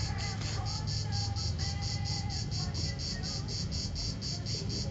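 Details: Late-season cicada at Vello in Brescia province, Italy, afternoon of 4 September 2010, captured on a mobile phone: regular shrill buzzing pulses, about three each second, with a deep continuous rumble underneath.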